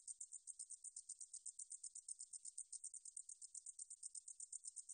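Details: A katydid from the National Institute of Biological Resources (2020) gives a high, raspy, pulsing buzz. Short bursts follow one another several times a second, evenly and without pause.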